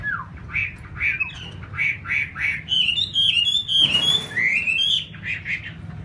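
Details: A pet laughingthrush kept without a cage, free to fly and bathe on its own. Loud whistled notes, rising and falling, run into a rapid warbling series, broken by a brief harsh splash-like burst, over a low background hum.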